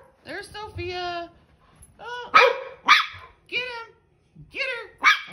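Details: Dog at play yapping in quick, high, arched barks, about five clear ones after an opening whine, each rising then falling in pitch.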